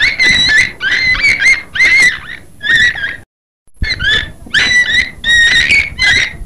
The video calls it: Beluga Whale sound